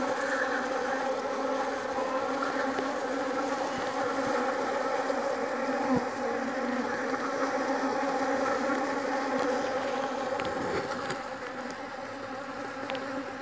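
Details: Loud, dense buzzing from a strong Jandaíra stingless bee colony. A rich droning hum with stacked tones holds steady throughout, then eases slightly near the end.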